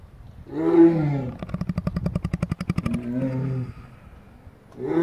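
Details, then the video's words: Lion asleep and snoring: a deep groaning inhale, a fast rattling run of pulses for about a second and a half, then another low moaning breath. "Lion snoring"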